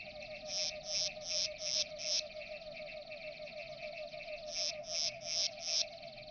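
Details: Platycleis grisea, the grey bush-cricket, singing at Nesvady, Slovakia, 22 July 2023: two bursts of high, regular chirps, five then four, roughly three per second, separated by a pause, over a constant low drone.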